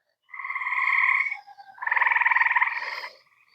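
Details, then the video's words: At least three frog species call in an evening pond chorus after a day of rain: bullfrogs, American green frogs and tree frogs, with nasal, buzzy notes, one held steady and one pulsing quickly; peepers possibly heard earlier. "at least three different species of frogs calling right now."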